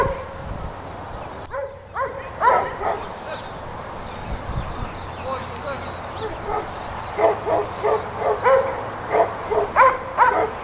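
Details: Border Collie sheep dog working sheep in New Zealand, giving bursts of sharp, ringing barks, a few early then quick runs of three to five near the end, over steady background hiss and some faint voices.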